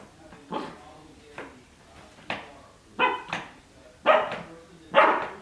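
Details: Twelve-week-old Cardigan Welsh Corgi puppy at play in a dog bed, giving six separate barks about a second apart, the first ones soft and the last three louder and brighter.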